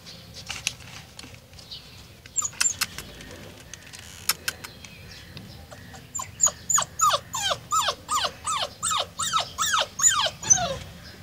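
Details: Golden Retriever in Nepal: after a few scattered clicks, a rapid run of high, thin whimpers, each a short tone sliding steeply downward, repeated about three times a second toward the end.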